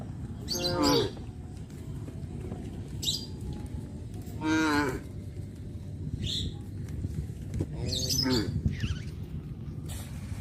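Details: Countryside cows heading out in the morning to graze in green fields, calling their friends on the road. Three separate short, tonal moos, roughly three and a half seconds apart, over a steady low hum.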